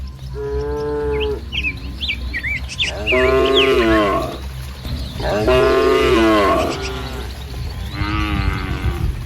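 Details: Dozens of tame village cattle grouped in a green rice field on a sunny morning, mooing: four drawn-out harmonic moos, each about a second long, over steady low rumbling and chirping birds in the background.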